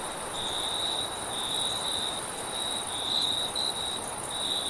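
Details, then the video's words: Cricket chirping in wind, meant as a soothing sleep sound; a thin, high, buzzy trill runs unbroken with slight swells in strength, over a constant airy hiss of wind. "CRICKET AND WIND RELAX SOUND"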